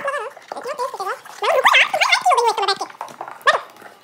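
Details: German Shepherd playing alone indoors while his owners are away, producing wavering, yodelling whines that swoop up and down in pitch, a busy run of warbling vocal noises ending in one sharp high yelp.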